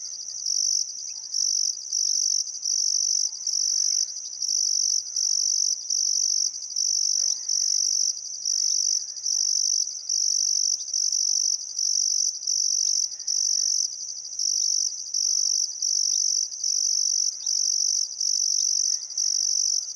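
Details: Crickets at sunset on a still summer afternoon beside the Barcoo River, Welford National Park, Outback Queensland, Australia: high, shrill pulsed trills in bursts under a second long, repeated steadily with short gaps, over faint scattered bird calls.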